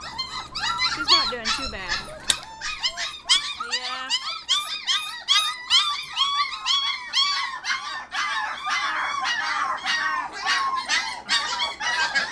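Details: Litter of 25-day-old Border Collie puppies singing during crate time, a dense, steady chorus of shrill squeaks and yelps about twice a second, with a brief low howl early on.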